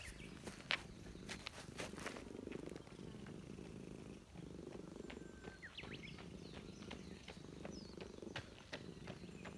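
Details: Stray Russian Blue cat with a stern face, living in a park, purring while being petted and glad to be reunited. Steady low rumbling purr with scattered clicks and faint bird chirps overhead.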